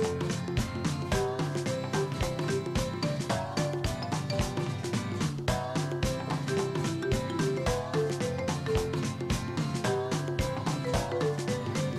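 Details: Dense, loud background music with a steady beat and melody throughout, and no animal voice heard.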